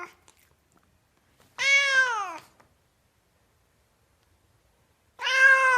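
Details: Two drawn-out cat meows with a long quiet gap between them; the first curves up and then slides downward, the second is cut off at the end, with only faint clicks otherwise.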